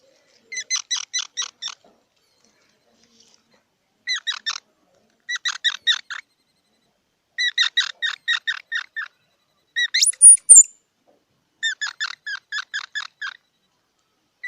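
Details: Squirrel calling in quick bursts of four to eight sharp, harmonic chucks, each burst lasting about a second with short silences between, plus one brief thin high squeal near the end; no other sounds.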